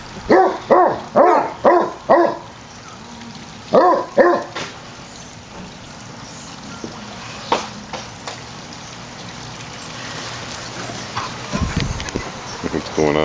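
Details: Eight-year-old rescued Basset Hound Stubbs at play with a resident Basset Hound in a foster home: short bursts of four or five rough barks near the start and again around four seconds, then mostly quiet room noise with faint scattered sounds.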